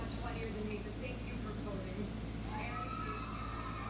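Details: Sleepy long-haired Persian cross cat being woken after sleeping over six hours in the day; short soft meows early on, then a longer drawn-out tonal meow near the end, with a person speaking and steady background hum.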